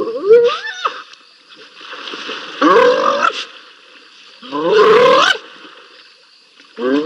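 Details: Two wild spotted hyenas scrapping at Rosie's Pan, filmed by live cam: loud rising whoops and squealing giggles in bursts every two seconds or so, each sliding upward, with quieter rasping between outbursts.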